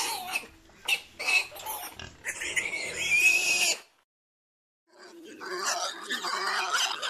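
Domestic pigs make rough, broadband grunts and strained squeals that come in irregular bursts. The calls stop for about a second, then another stretch of scratchy squealing follows.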